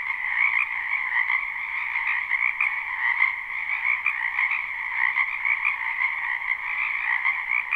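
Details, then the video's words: Live, unlooped chorus of frogs croaking in a spring wetland: many overlapping rapid trills blend into a continuous two-toned drone, punctuated by short louder pulses and gentle swells in volume, with nothing else audible. "Ambient Noise for Sleep Frogs Black Screen"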